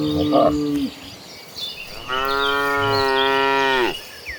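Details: Tame cattle being herded toward green pasture: a short moo, then a long steady moo held for nearly two seconds, with light bird chirps behind.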